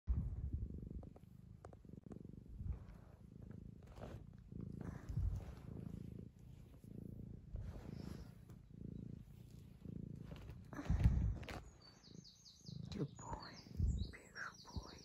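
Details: Young male tabby cat, two years old, purring while his owner fusses him: a deep, steady rumbling purr pulsing in waves about every second, with brief higher rustling and clicking noises near the end.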